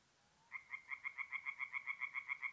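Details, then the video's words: After half a second of quiet, a tree frog starts calling at a forest pond at night in north-east Italy, mid-April. It gives a quick, even run of about six to seven sharp, nasal croaks per second. "relaxing forest pond by night with singing tree frogs"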